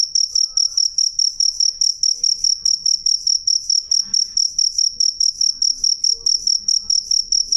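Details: Clear, loud cricket song of crisp high-pitched chirps repeating steadily around two and a half times per second, with a few faint soft sounds in the background.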